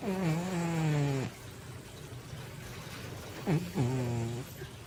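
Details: Asleep indoors, Baby, a female Manx cat of more than 20 pounds, gives a long, deep, buzzing snore, then after a quiet gap a short snort and another low, rasping snore.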